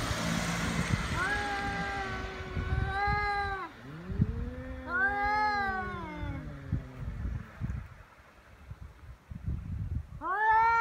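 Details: Feral cats threatening each other before biting and swatting, recorded on Cat Day, 22 February, in Japan: overlapping wavering yowls from two animals, a low descending moan, a brief pause, then another rising yowl; faint background hiss.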